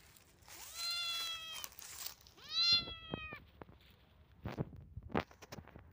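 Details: Domestic cat giving two clear meows in a row: a long, steady, slightly falling cry of about one and a half seconds, then a shorter second meow, followed by soft clicks and light tapping sounds.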